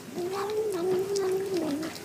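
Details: Cat meowing while eating, from a compilation of cats and kittens saying yum yum or nom nom. A single drawn-out, wavering, mid-pitched tonal meow lasts nearly two seconds, with faint indoor noise behind it.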